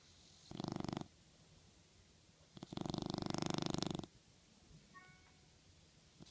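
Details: Dog asleep and dreaming on a pillow, snoring with a short and then a longer rattling, fluttering breath made of fast pulses, followed by a brief faint whine and quiet breathing.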